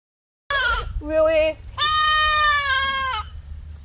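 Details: Three baby goat kids on a hobby farm, first morning after a night in a small red barn, crying as they are woken and led on leashes; loud wavering bleats, one short then one long quavering cry, with a woman speaking between.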